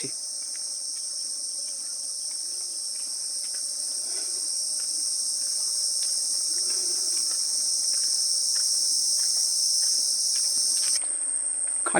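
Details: Crickets in the still, quiet Mini Sundarban forest near Taki, West Bengal: an unbroken, piercing high trill holds steady for the whole stretch. It cuts off abruptly near the end, with faint rustles and a brief noise at the close.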